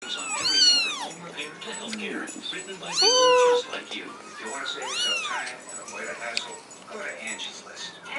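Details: Kittens calling for their mother, apart from her for the first time since their eyes opened; high, arching meows in bursts, several overlapping, some rising then falling, repeated roughly every two seconds.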